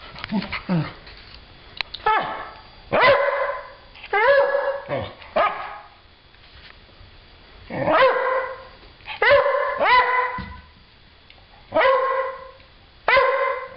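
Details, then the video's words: Stella, a pet dog, barking at nothing indoors: loud, harmonic barks in short bursts of two or three, spaced a few seconds apart, each bark rising then falling slightly, with quiet room noise between. "Stella barking at nothing."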